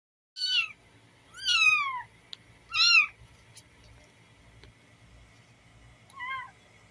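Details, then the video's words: Six kittens, street cats, sitting on a box and meowing: four high, thin, downward-sliding mews spaced about a second apart, the last one shorter and quieter, with faint clicks between calls over a quiet background. "6 kittens on the Box, meowing"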